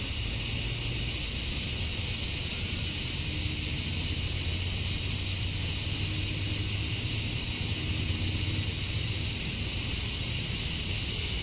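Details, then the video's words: Male cicadas chirping to attract females on a summer night at dusk in Georgia, USA: a steady, unbroken high-pitched shrill drone with a second, lower buzzing band. It holds constant throughout over a faint low rumble. "Cicadas at Dusk, Summer Night"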